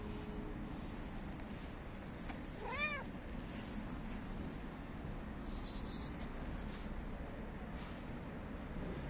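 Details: A stray cat that likes to lick feet gives a single clear, rising-then-falling meow partway through, over a steady low rumble of road traffic.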